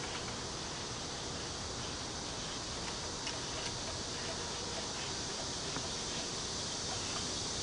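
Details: A steady, high, hissing drone of cicadas, with faint rhythmic pulsing throughout, fills a park with bamboo near Cheng Ching Lake in Kaohsiung.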